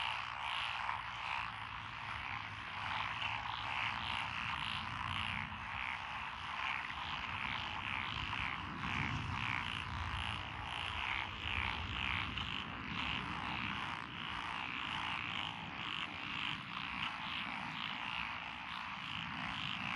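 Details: Mixed frog chorus (Japanese tree frog, pond frogs, wrinkled frog, Schlegel's and forest green tree frogs) from lotus paddies along a country road in Echizen, Fukui, Japan, 12 June 2021. Dense, pulsing croaking throughout, with a low rumble in the middle.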